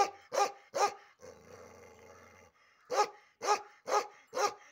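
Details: Aggressive Bakharwal dog barking while its ear and tail hair is cut: three loud harsh barks, a pause with a low growling rumble, then five more barks spaced about half a second apart.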